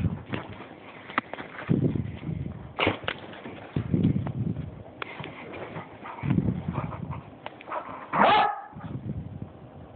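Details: Buckly, a pet Beagle acting a little crazy, gives a few short barks and yips amid low rumbling handling noise, with a person's voice coaxing him nearby.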